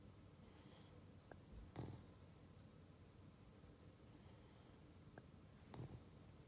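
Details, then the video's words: Ollie the Boston Terrier snoring in sleep: two low raspy snores about four seconds apart, each short and rough with breathy hiss, faint clicks between, quiet indoor setting. "Ollie snoring |Boston Terrier"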